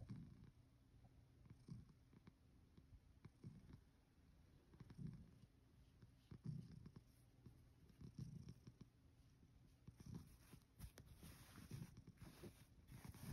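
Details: Male rescue cat asleep under the futon covers on its fourth night, purring in soft, low rumbling pulses that rise and fall with each breath every second or two; faint hiss grows toward the end.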